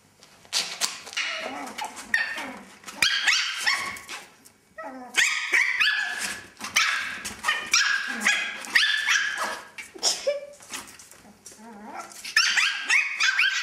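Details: Two male Chihuahuas, one a puppy, play together in a playpen tent, giving rapid, high-pitched yips and sharp barks mixed with short whines and growls.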